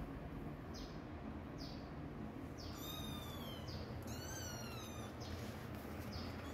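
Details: Mama cat moving away from where her kittens are hidden; two short meows in close succession midway, the second sliding downward, set against constant low-pitched background noise and light ticking sounds.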